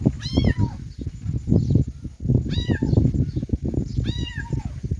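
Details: Kittens mewing three times, each call a high bright note sliding downward, heard over heavy low rumbling and bumping noise.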